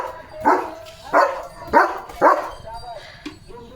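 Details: Leo, a German Shepherd, freshly bathed and switched into alert duty mode, gives four loud, rough barks about every 0.6 seconds, then a few fainter, trailing sounds.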